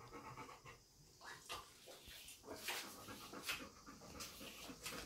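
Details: Dog panting, happy and eager because its owner has brushed her teeth without washing her face, a sign that a walk is coming; soft, breathy noisy bursts come at uneven intervals against a quiet indoor background.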